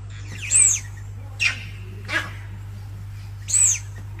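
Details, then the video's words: Kirk's dik-dik giving high-pitched warning whistles to fellow dik-diks and other animals nearby, a three-month-old lion cub hiding in a bush, recorded on a Sony a1; two very high thin whistles three seconds apart, two harsher bursts between, steady low hum. "The Kirk’s dik-dik let’s of a high pitch whistle as a warning call to their fellow.."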